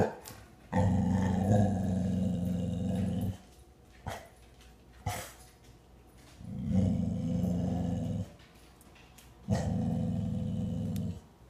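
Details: Frightened 8-month-old American Bully bitch with weak eyesight, growling indoors at a plastic skull on the table. Three deep, sustained growls of about two to three seconds each, separated by quiet gaps with faint clicks.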